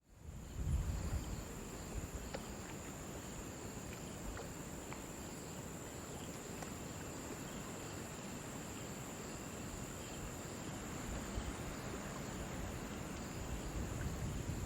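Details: Crickets near a river: a steady, high, unbroken insect trill runs through the whole recording over a deep rushing wash of flowing water, with a few faint clicks scattered throughout.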